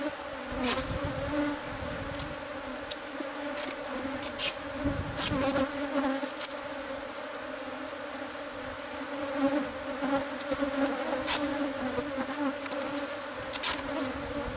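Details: Colony of bees in a hive concealed within house walls as pest control removes it: a continuous, even buzzing drone throughout, broken by sharp tapping and scraping noises from the removal work.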